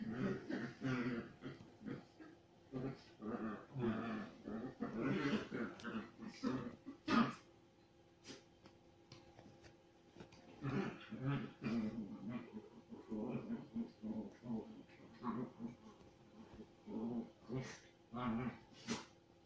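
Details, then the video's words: Chihuahua cross dogs at aggressive play, producing long stretches of throaty growling and snarling in rapid pulses, breaking into huffing, cough-like bursts, pausing briefly midway before the rough growls resume. "Our Chihuahua cross dogs aggressive play"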